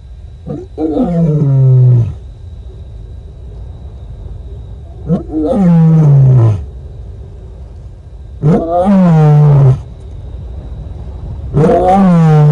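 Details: Female lion moaning to make contact with other lions at Nkorho, South Africa, on 30 September 2021, caught by a livecam; four long, deep moans, each falling in pitch and lasting over a second, spaced about three to four seconds apart.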